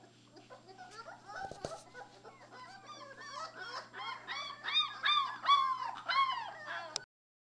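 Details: Three-week-old Labrador Retriever puppies playing together: a busy overlapping chorus of short arched whines and squeals, quiet at first and growing louder and denser toward the end, over a steady low electrical hum.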